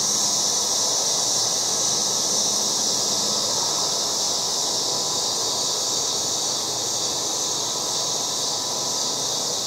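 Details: August yard cicadas in full chorus: a loud, continuous shrill drone, very high and even, with a faint low murmur underneath throughout.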